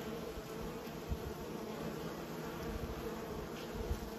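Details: Kept bees from a beekeeping colony hum with a steady, droning buzz holding at a low pitch, mixed with low rumbling thumps and a faint constant high whine throughout.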